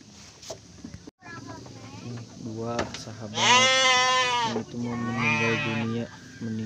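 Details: Garut sheep during the birth of triplets to a ewe: a long, wavering bleat in the middle, then a second shorter bleat, with human voices and low background murmur throughout.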